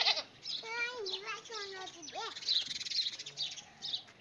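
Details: Goat meeting a dog, with a baby playing nearby: a few wavering, quavering bleats that drop in pitch near the middle, mixed with children's and adults' voices talking around the animals.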